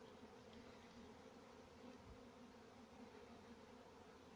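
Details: Honey bees kept for honey farming give a steady, low droning hum with layered tones, unbroken throughout and without other clear sounds.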